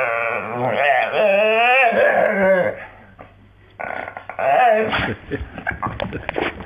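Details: Staffordshire Bull Terrier Jo, lying on the floor, gives a warbling sung moan that slides up and down, followed by choppy grumbling vocal bursts.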